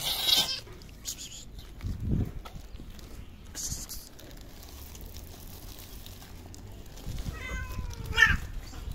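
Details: Eleven hungry stray cats meowing for food at the same time. A short meow opens the recording, then scuffling and quiet shuffling. A clear tonal meow with several harmonics near the end first rises, then falls.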